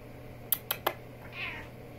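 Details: Talkative female house cat conversing with her owner: three sharp clicks or taps, then a thin, high meow that rises and falls briefly, over a steady background hum, followed by the owner speaking.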